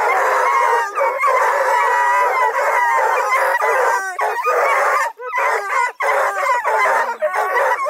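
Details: Several coonhounds, Blueticks, Redbones and Black and tans kept by a hound breeder near Kingston, Ontario, howl in overlapping, quavering bays, with brief dips in the din around five and six seconds.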